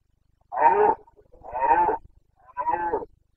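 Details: Carpathian red deer stag roaring in the breeding season, Bucovina, Romania, 29 September 2022: three loud, hoarse, harmonic bellows, each about half a second long, rough and grating, with short silent gaps between them.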